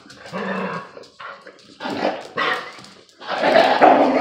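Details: Presa dane mix, kangal bloodhound mix pup and a lurcher terrier mix at play, the pup aggravating the old dog; four bursts of harsh barks and yips, the last one long and loud, with a person urging them on.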